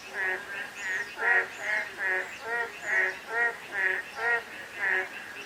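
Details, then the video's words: Frogs croak through a drizzly day, their reedy harmonic notes coming in rapid, slightly uneven pulses from several callers, backed by soft rain hiss and a few thin high whistles. "가랑비 내리는 날/개구리 소리"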